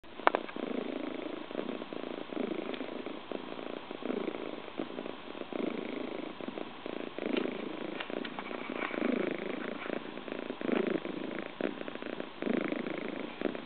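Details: Scottish Fold kitten named Maruko relaxing on a woman's lap, purring loudly; a steady, rough, pulsing rumble running unbroken throughout, with faint small rustles.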